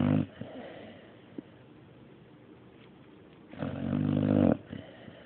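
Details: Dog named Mario snoring indoors: a loud, low rasping snore at the start and another around three and a half seconds in, each about a second long, with a quiet breathy lull between.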